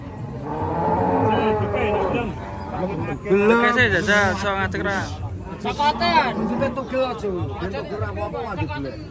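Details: Thin, bony cattle give drawn-out moos while human chatter and some music run underneath, the calls rising and falling between voices.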